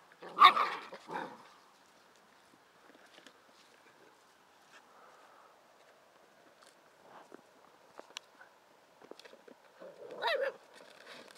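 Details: Bicolour poodles at a dog show podium, with two short loud bark bursts at the start and another near the end, quiet low rumbling and clicks between them.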